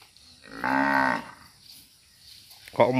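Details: Breeding-stock cattle, described as suited to roaming free in oil palm plantations, give one full, deep, harmonic-rich moo lasting about half a second. A second moo begins just as the recording ends, over a quiet background.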